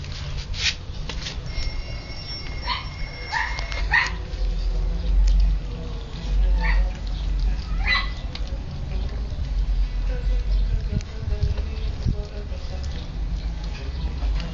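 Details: Siberian Husky puppies playing and eating: a thin, steady high whine early on, then scattered short sharp yips and squeaks over a constant low rumbling background.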